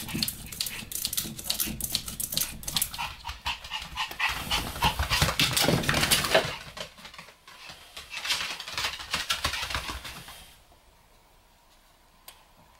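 Pomeranians growl, pant and scuffle in rapid bursts during rough play, then fall quiet.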